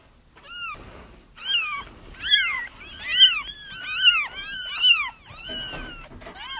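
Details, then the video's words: Kittens crying, a recording meant to lure a feral mother cat into a trap where her kittens were found; several high, arched mews rise and fall in quick bursts about once a second, voices overlapping, with quiet gaps between. "30 minutes of Kittens Crying"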